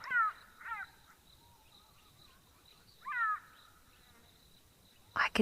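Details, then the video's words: A jackal gives short, high, wavering yelps, a quick pair then more after a pause, sounding the alarm near cheetahs feeding at Mabula in the African bush. Others answer in the background, and it may be calling its family to the meal. "I can hear some others answering in the background. So, I'm wondering if this jackal is calling up its family to come for a meal."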